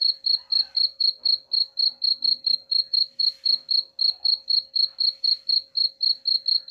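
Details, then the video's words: Chirping cricket offered as a rat-repelling sound, its shrill tonal pulses coming in a steady train of roughly four per second, each short and bright, over a thin constant background hum. "suara jangkrik pengusir tikus ampuh"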